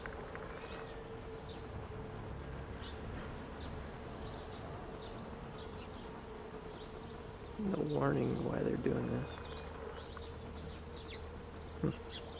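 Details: Honeybees buzzing at an observation hive entrance: a continuous droning hum with faint high chirps above, and a brief human voice in the middle.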